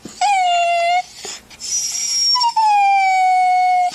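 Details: A dog cries with drawn-out, steady whines, two long sustained tones, the second starting a little higher and sliding gently downward, separated by a brief breathy pause; an emotional whining sound.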